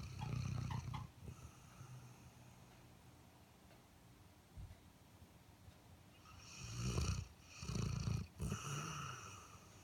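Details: Asleep, an Airedale Terrier snores in low, rattling bursts: one long rumble at the start, a quiet stretch, then three loud snorts in quick succession, each with a raspy, breathy edge.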